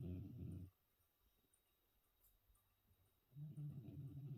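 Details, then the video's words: Hermann, a cat aged 14, snoring through a good sleep after New Year's Eve: a low, grating breath fades out, a hushed pause follows, and another gravelly snore begins. "Hermann sleeping and snoring"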